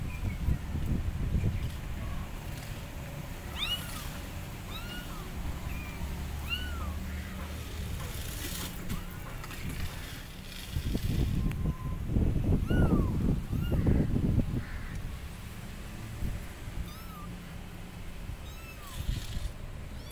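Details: Abandoned kittens on a gate meowing loudly, calling for their mother cat: many short arched high meows repeated through the clip, over heavy low rumbling background noise, possibly traffic, with louder bursts of noise midway.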